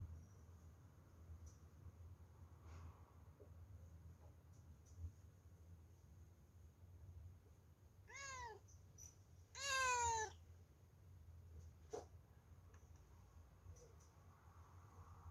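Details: A cat indoors gives two short meows around eight and ten seconds, the second louder and longer with a strained, harmonic tone, over a steady low hum and a faint high whine in an otherwise quiet room.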